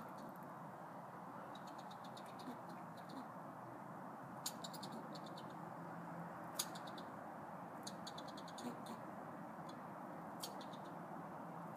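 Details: Squirrels outside the front doors of Wilsonville Library, Oregon, chatter in quick bursts of sharp, dry clicks over a steady low rumble, possibly territorial.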